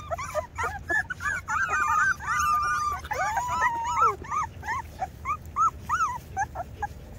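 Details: Several two-week-old Rottweiler puppies crying together, with rapid high yips and arching whines, some long wavering squeals, then short bent whimpers spaced about half a second apart, over a faint low background hum.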